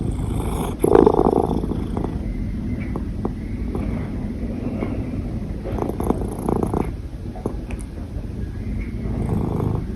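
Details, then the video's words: A hiccuping cat keeps up a continuous low purr, rumbling evenly throughout, with a brief louder surge near the start and small catches and clicks scattered through the purring. "Cat Hiccups with Purring"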